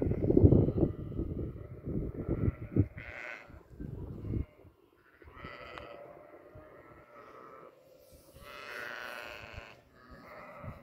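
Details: Farm goats bleating: after a loud low rumble over the first four seconds, drawn-out nasal bleats rise and waver around 3, 5.5 and 9 seconds.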